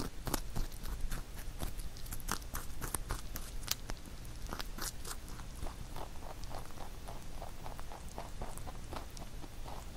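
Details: Crisp, rapid crunching as pet rabbit Huchu chews a carrot songpyeon prepared for Chuseok; sharp bites cluster early, then settle into a quicker, softer, even chewing rhythm.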